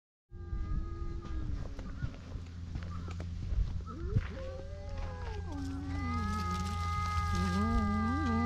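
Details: Stray cats on a Japanese cat island quarreling over a single fish, filmed on a GoPro HERO8: long, wavering, drawn-out yowls that slide up and down and grow louder toward the end over a steady low hum.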